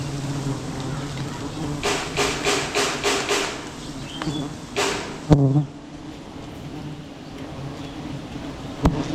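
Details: Wild bees at a huge beehive being cut down during village honey hunting; a steady low droning hum runs throughout, broken by a quick series of knocking bursts, a sharp thump and faint voices.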